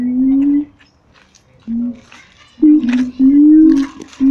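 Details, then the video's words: Captive siamang apes at Taronga Western Plains Zoo, excited and noisy: loud, tonal hooting notes, some rising slightly, come in bursts separated by short silent gaps. Fainter calls and higher overtones sit above the main notes. "The Siamang Ape's at Taronga Western Plains zoo going bananas"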